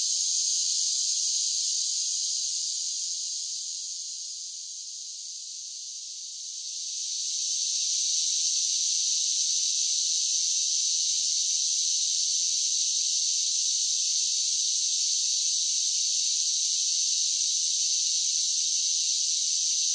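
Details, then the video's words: Summer cicada chorus forming a continuous shrill, hissing buzz, high and even, dipping in loudness for a couple of seconds early on and then holding steady at full volume to the end. "Cicada Sounds"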